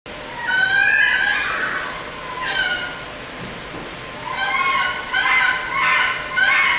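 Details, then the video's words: Baby monkey panicking in a laboratory, giving loud harmonic screams that rise and fall, in about six bursts over seven seconds, with short gaps and a rough, noisy background. "This baby monkey's panicked screams"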